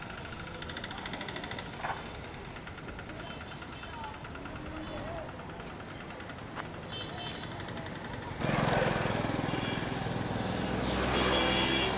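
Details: People talk over a steady idling engine, and a louder, broader rush of vehicle noise takes over for the last few seconds.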